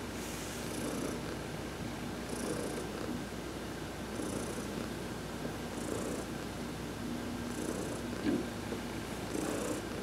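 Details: Domestic cat purring contentedly while being massaged during a sunbath; steady low rumbling purr that swells with each breath about every 1.7 seconds, each cycle topped by a soft hissy breath, in a quiet room.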